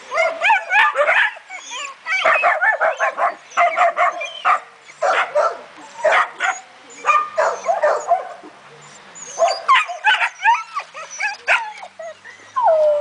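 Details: German Shepherd barking in bursts of short, harsh, repeated barks, some higher yelping notes, with short pauses between volleys; a human voice is faintly heard at times.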